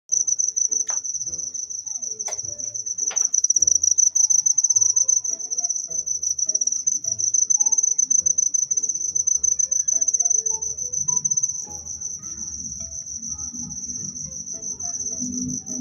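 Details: Cricket chirping in a steady, high, unbroken trill that holds one pitch for the whole stretch. Faint lower tones, a short whistle-like sweep and soft low thumps sit underneath.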